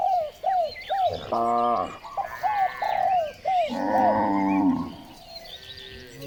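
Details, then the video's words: Morning herding of cows along village streets: two loud, harmonic, drawn-out moos, the second longer and deeper, mixed with quick repeated arched chirps from other creatures and faint background noise. "The sound of cows roaring on the village streets, the activity of herding cows in the morning"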